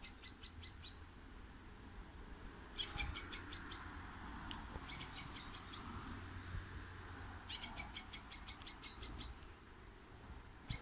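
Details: A wild squirrel gives bursts of rapid, sharp chipping notes, each run lasting about a second.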